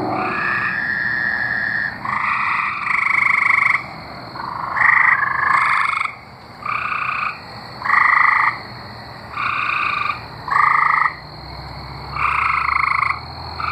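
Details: Chorus of tree frogs singing in Arkansas, repeated buzzy trills roughly a second each, coming from several callers at different loudness with short quiet gaps between, steady faint high hum behind.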